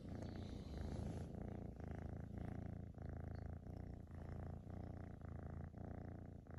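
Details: Lotus, a young female half Maine Coon kitten with a tortoiseshell coat, purring indoors during close-up petting; a steady low rumble runs in rhythmic pulses of just under one per second, with no other sounds.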